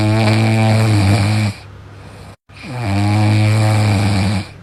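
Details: Sleeping dog snoring loudly: two long, deep, droning snores, each about a second and a half, with a rough buzzy edge and strong low harmonics, separated by a short quieter gap and a brief silence.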